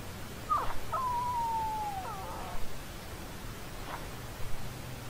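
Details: Puppy whimper: one high, thin, whistle-like whine about a second long that slides slowly downward, with a short higher yelp just before it and faint soft sounds afterward, over a low background hum.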